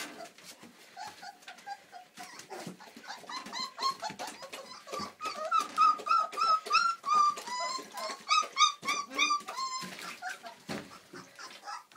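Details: Four-week-old Old English Sheepdog puppies from Millie's litter crying indoors: a chorus of short, piping, rising-and-falling squeaks repeated quickly, building louder in the middle, with soft rustling between calls.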